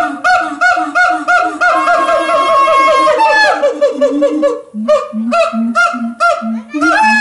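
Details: Loud siamang song at Los Angeles Zoo from endangered Symphalangus syndactylus: a rapid accelerating series of ringing barks climbs into a long rising scream, then settles into steady deep booming hoots about twice per second with sharp barks between.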